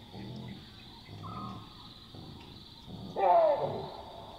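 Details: Chacma baboons calling at night in the African bush: a few low, soft grunts, then one loud, sharp bark near the end, over a steady high-pitched drone.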